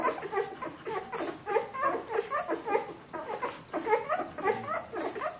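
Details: Bernese Mountain Dog puppies at 14 days old giving piping whimpers and little squeaks, bursts spaced about half a second apart, several voices mixing.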